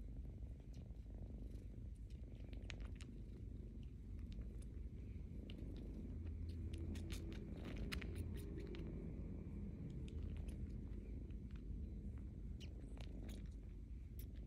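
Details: Rescued kitten indoors sucking on its own paw pads, a wet chupa-chupa noise: soft irregular clicks and smacks riding over a steady low continuous purr, close to the listener.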